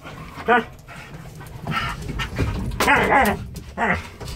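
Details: Two Alaskan malamutes crammed together in a very small elevator: short, moaning, talk-like howls with rising and falling pitch, several in a row, with some rustling and shuffling between them.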